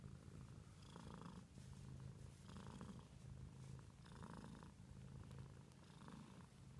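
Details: Pet cat purring: a steady low rumble with regular pulses of breath noise roughly every 1.3 seconds, recorded quietly indoors.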